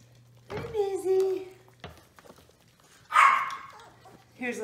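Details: Playing indoors, a litter of six five-week-old Toy Australian Shepherd puppies gives a long, bending yelp-whine, then a harsh scratchy yelp a couple of seconds later and a brief whimper at the end. A low hum runs underneath.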